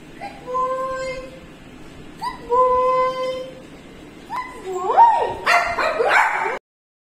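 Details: Leo, a jealous, possessive pet Shih Tzu, whimpers in long, steady, tonal whines that rise into louder, sharper yelping cries near the end, with a person's voice murmuring reassurance.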